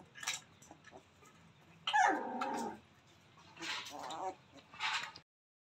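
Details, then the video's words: Playing newborn Rottweiler pups: a single loud, wavering squeal lasting under a second stands out amid rustling and bursts of hissy handling noise before and after. "Rottweiler dog new pappy ❤️Newborn babies playing"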